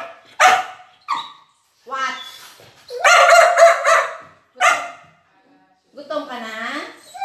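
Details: Talkative Border Collie during a food review of her favorite chicken, giving loud harmonic yowls and short bark-like bursts separated by pauses, ending in a wavering whine; a person speaks in between.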